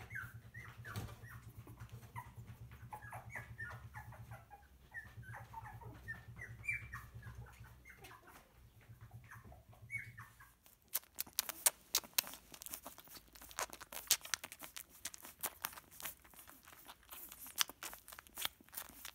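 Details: Litter of puppies, recorded from birth to ten weeks, making scattered high squeaks and whimpers for the first half, then loud clattering, clicking and rustling noises take over with the cries barely heard.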